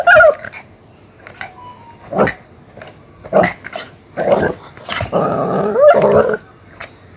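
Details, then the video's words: Aggressive Miniature Pinscher pet producing scattered short snaps and barks, then a sustained snarling growl lasting over a second near the end. "Miniatur Pinscher | ANJING YANG GALAK"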